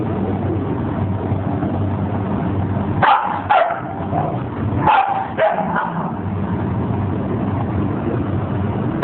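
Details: Puppies yipping: four short, sharp yips in two close pairs near the middle, set against a constant low engine or traffic rumble.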